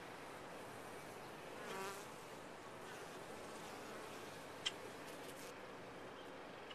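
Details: Honey bees inside a top-bar hive, a steady diffuse hum with a brief louder, rippling buzz near two seconds as a bee passes close, and a sharp click later.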